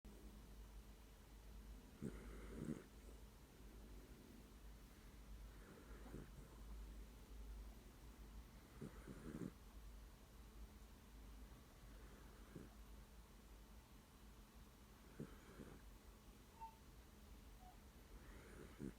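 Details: Sleeping dog snoring with its eyes open: soft, low rasping snores repeating about every three to four seconds, each a brief breathy rumble, in a quiet room.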